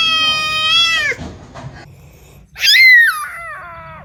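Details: Cat giving two drawn-out harmonic meows: the first holds steady, then drops at its end; after a quiet pause, the second jumps up sharply and falls away in steps.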